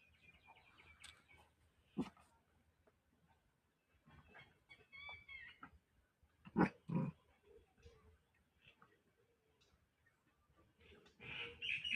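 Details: A female Pomeranian puppy gives a few sharp, high yaps, spaced out between quiet pauses and soft whines.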